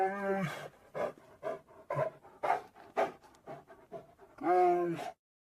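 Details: Asian black bear giving a series of harsh, pulsed huffs and grunts about twice a second, framed by a louder, longer tonal moaning call at the start and end.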